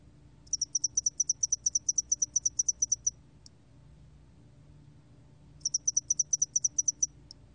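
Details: Spotted-wing hairy cricket song from a 2020 National Institute of Biological Resources recording: a high, sharp chirp train of about twenty evenly spaced pulses, a pause of over two seconds, then a shorter train, all over quiet background.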